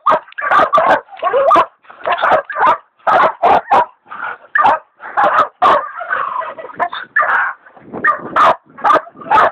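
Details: Hog dogs Dixie and Dollie baying a big sow hog, with leopard dog Dollie still in training; dense overlapping barks and yelping calls run almost without pause, some drawn-out and wavering.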